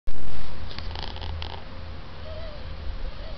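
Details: Chini, a working cat, purrs in a steady, deep, low rumble that continues without a break, with a short rustle near the start.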